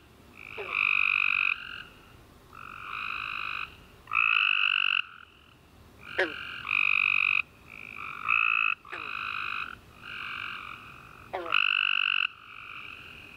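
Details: Tree frogs call at night after a warm, rainy summer day in a steady chorus of bright, harmonic chirps, several overlapping voices repeating rapidly.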